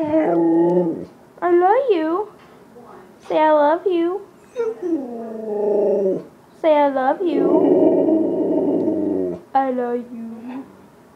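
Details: Freedom, a Siberian husky, talking indoors: a run of rising and falling yodelling whines and howls with rich harmonics, some swooping upward, one long rough moan near the end, separated by short pauses.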